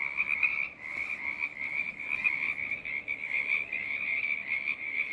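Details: Frog choir in full voice, a continuous high trilling hum from many animals, briefly softer near the first second before building back steadily.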